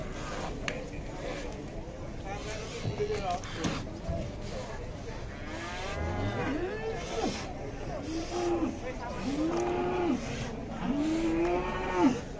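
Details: Agitated cow coming down from a truck lows repeatedly, a series of short arched moos roughly every one to two seconds in the latter half, over crowd and vehicle noise.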